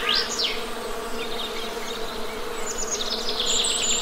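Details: Steady, even buzzing of honey bees forms a continuous low hum beneath busy bird chatter: rapid high chirps and rising whistles near the start, then trilled twittering toward the end.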